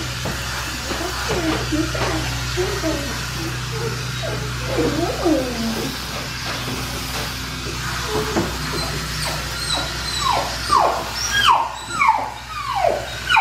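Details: Black tri male puppy, neutered, from Clementine's litter, during a bath: a series of falling, whining cries comes in the last few seconds, after running water and voices fill the first half.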